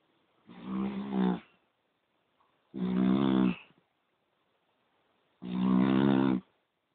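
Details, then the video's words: A poodle snoring indoors: three rough, deep, buzzing snores, each lasting about a second, spaced roughly two and a half seconds apart with quiet breathing gaps between them. "Храп пуделя"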